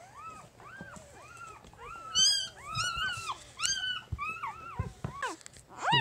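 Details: Three-day-old puppy from Jig's litter cries in a rapid string of high, arching squeals and whines, loudening into shrill yelps near the middle and end, while a low hum continues underneath.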